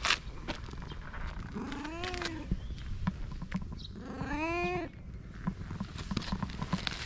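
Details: Fluffy cat in Japan giving two drawn-out, wavering meows about two seconds apart, the second longer and louder, over steady background hiss and faint ticking sounds.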